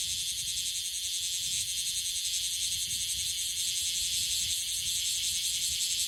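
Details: Bear cicada in Okinawa, an unusually persistent caller, producing a loud, dense, high hissing buzz that runs without a break across the whole stretch, with faint rapid pulsing within it.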